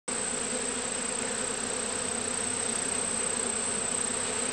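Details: Honeybee swarm captured on a farm last summer, settling into a new home: a dense, steady buzzing hum from many bees, unbroken throughout, with a constant high whine above.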